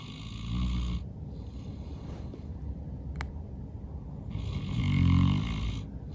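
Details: St. Bernard Norman, worn out from playing outside all day, snores loudly in his sleep; two rumbling, low snores about four seconds apart with hushed breathing between and a faint click in the middle.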